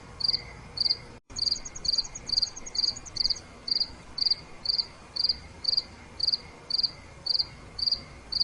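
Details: A cricket chirps steadily at night, short high pulsed bursts repeating about twice a second.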